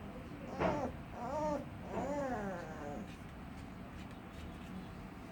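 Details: Little puppy giving weird moans: a short sharp yelp, then two drawn-out wavering whines that bend up and down. After that only quiet room noise is heard.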